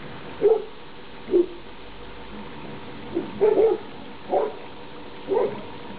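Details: Labrador Retriever puppies, a whole litter playing together outdoors on 28 October 2011, their last day together. Six short, mid-pitched yips and barks come singly or in a quick pair about once a second over steady background hiss.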